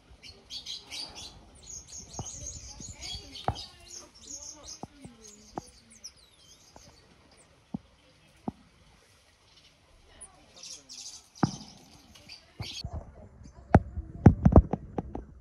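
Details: Cotton-top tamarins, a Critically Endangered species, at Cotswold Wildlife Park, home to newborn twins; sharp high squeaks and short whistles cluster early and again near the end, broken by loud clicks and thumps.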